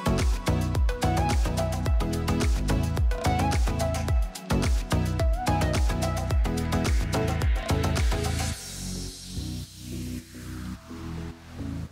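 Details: Electronic dance music with a thumping beat and melodic synth notes, fading into a rising noise sweep near the end.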